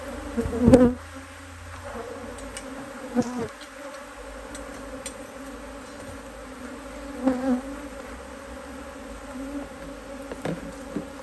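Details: Busy honey bees working hard in fine Australian weather, almost mid-Autumn 2023, as their HiveIQ hive is opened to add a box of empty frames. A continuous droning hum, broken by several loud passing buzzes and a few knocks.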